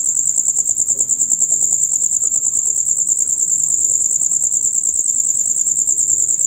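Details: Male crickets chirping in concert, typical from dusk until dawn; a steady, piercing high trill with fast regular pulses fills the whole stretch, with quiet low murmur beneath.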